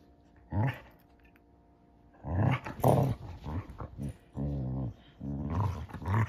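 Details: Two Basset Hounds playing hide and seek indoors, heard as low rumbling growls in short bursts, with a longer steady growl near the end and quiet gaps between.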